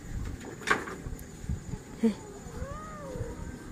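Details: Pet cat Honey, at home near the cage around dusk, utters a single long meow that rises then falls, following sharp knocks and a short human voice, with a low background hum.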